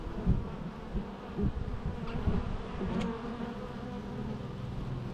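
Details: Bees humming in a low, dense drone, with scattered soft thumps and a brief higher tick partway through; the buzz swells and fades slightly over the few seconds.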